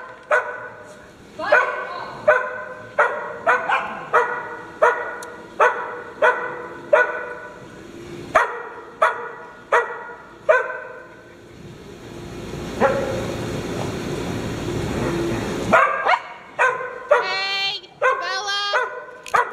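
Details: Farm dog at playtime giving a long series of regular, ringing barks about every half second, broken by a rustling, noisy pause, then resuming with higher, excited yips.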